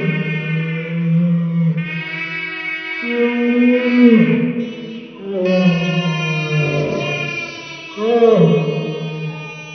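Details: Great Dane named Mikey howling in slow motion while playing with his special squeaky balls; long, low, wavering harmonic howls in drawn-out phrases that dip and rise, with brief Spanish speech and music in the background.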